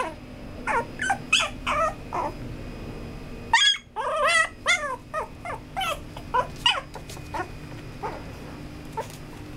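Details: A male Maltipoo puppy whimpering and yipping in a rapid series of short, high, wavering cries, several per second with brief pauses, over a steady indoor background hiss.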